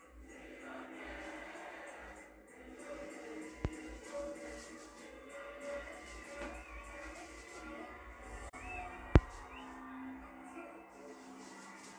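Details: Soft background music with faint voices and two sharp clicks, and no clear animal call.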